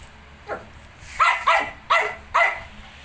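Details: Shih Tzu with puppies nineteen days old: one faint bark, then four strong clipped barks repeated roughly every half second against a faint background hum.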